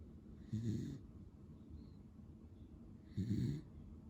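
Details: A sleeping male Beagle named Pero, lemon and white in colour, gives two low, grating snores about half a second long and roughly two and a half seconds apart, with only quiet background between them.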